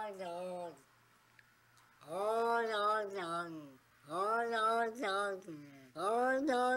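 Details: Domestic cats gathered from internet clips, seeming to want to talk: a series of long, drawn-out, voice-like meows with rich harmonics, rising then falling, four separate calls with short pauses between.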